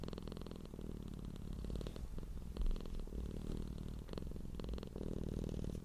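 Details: Domestic cat purring, a sound made when content, relaxed and happy: a deep, continuous low rumbling hum in fine rapid pulses, steady throughout with slight swells in intensity.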